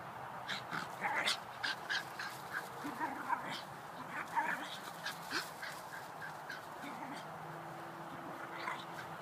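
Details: Two Shiba Inus, Rebel and Videl, wrestling and horsing around in a backyard; short grumbling growls and whiny yelps come in quick bursts over steady outdoor hiss, with scuffling clicks between vocalizations.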